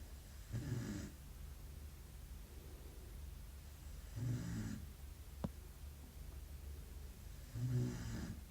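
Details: Belgian Malinois puppy snoring in its sleep, three rough, low inhaled snores about every three and a half seconds, with one sharp click between them over a soft indoor hum.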